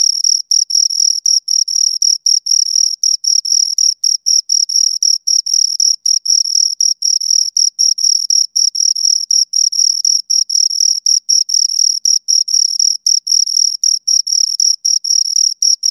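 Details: Pair of crickets heard right at the ear, an unbroken run of rapid high chirp pulses in a steady rhythm, shrill and metallic, with brief gaps between bursts and nothing else audible.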